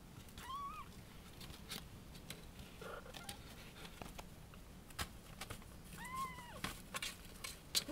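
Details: Kitten up for adoption in Okayama, Japan, interrupted while playing and wandering around trying to find where a calling voice comes from. Two short, thin meows that rise then fall, several seconds apart, over steady background hiss with scattered clicks.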